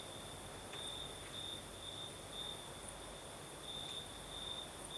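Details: Crickets singing at night in the south, in Crimea, with a night breeze: a steady high trill, brighter bursts of chirping pulses every second or so over a constant shrill band, with soft breezy rumble underneath.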